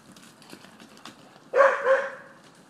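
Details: Vizslas chasing a laser pointer in a California backyard at dusk; after soft rustling and light footfalls, one dog gives two short, harsh, voiced barks in quick succession, then quiet returns.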